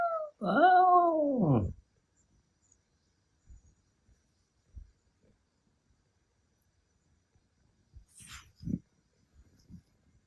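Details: Milky, a male Ragdoll cat born in 2021 that sometimes howls like a wolf, gives one drawn-out harmonic howl lasting over a second, falling in pitch, followed by quiet knocks and faint background music.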